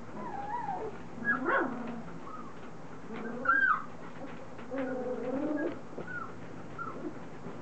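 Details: Three-week-old Standard Poodle puppies, a litter now moving around, mouthing and starting to play, make tonal whines and squeals, some rising and falling, others held as harmonic cries, in short bursts with gaps between.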